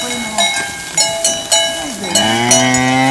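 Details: Cika cattle, the only preserved Slovenian native cattle breed, originating from Bohinj, lowing with a drawn-out, wavering moo that dips then rises near the end, amid frequent ringing cowbells and other overlapping low cattle calls.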